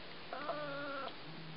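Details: Male Siamese cat meowing for food: one clear, steady, drawn-out meow under a second long with a slight rise at the start, against a faint indoor hum.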